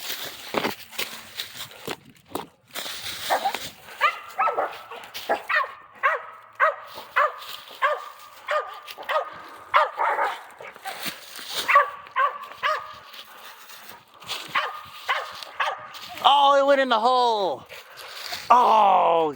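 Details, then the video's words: Dogs hunting squirrels, excited as the quarry escapes into a hole: a long run of repeated barks, roughly two each second, rising into high yelping and whining at the end, with rustling and a man urging them on. "Hunting squirrels with my dogs!"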